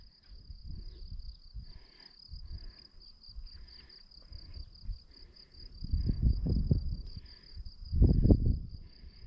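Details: Crickets trill in a steady, high, pulsing stream behind footsteps and low rumbling on a quiet countryside road near forest in the Jura hills, France, in mid-May.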